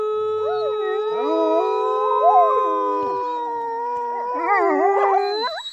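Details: Norwegian wolves howling together, several long sustained tones overlapping at different pitches, some gliding up and down and wavering, rising into a busier, warbling chorus near the end.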